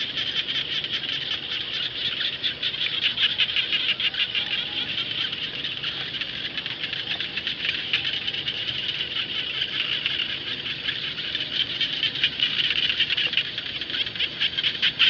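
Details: Many frogs (khiat jana) calling together in rice fields, forming an unbroken, buzzy, high-pitched pulsing chorus that swells slightly at times but never stops.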